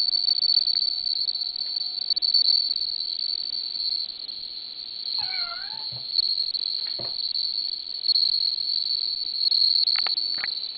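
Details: Bell cricket keeping up a steady high ringing trill, while a short descending meow-like sound and a few clicks and knocks break in midway and near the end.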